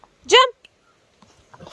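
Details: Labrador Retriever, encouraged by a person to jump: one short, high, rising-then-falling whine lasting under a quarter second, followed by quiet and faint voices.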